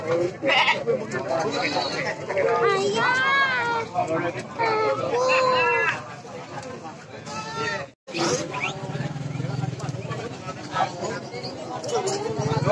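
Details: Goats at a crowded market in Cilongok, Banyumas, Indonesia, hundreds brought in for sacrifice before Eid al-Adha; repeated wavering bleats from several animals over loud crowd chatter and market noise.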